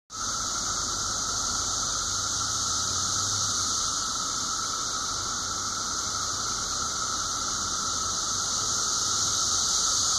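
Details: Brood V periodical 17-year cicadas in a dense daytime chorus at Washington Cemetery, Washington, southwest Pennsylvania, recorded 30 May 2016 at 12:34 pm; a steady, unbroken high droning hiss with a lower whining band, loud and continuous throughout.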